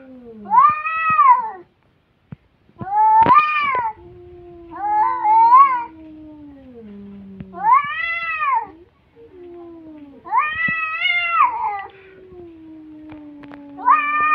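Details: Cats in a fighting exchange: arched, nasal yowls come roughly every two to three seconds, each swelling and fading, while a lower sustained moan slides slowly downward beneath them.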